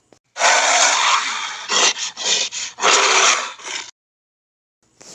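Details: Gorilla roaring and barking: a long, rough, broad roar followed by several short harsh barks and a second drawn-out roar, all noisy and loud, ending in silence.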